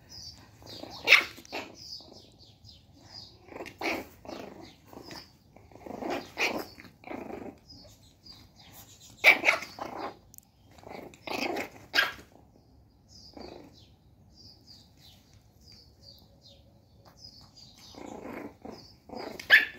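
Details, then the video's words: One-month-old Shih Tzu puppy named Caro getting mad, with her mother Bella: short squeaky yaps and little growly barks in irregular bursts, some high yelps, pauses between outbursts, indoors. "1 month old baby shih tzu gets mad"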